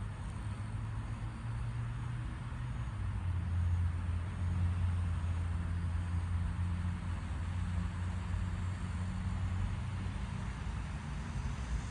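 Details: Only a steady low engine rumble, like a vehicle idling or passing nearby outdoors, is heard, with no animal sound.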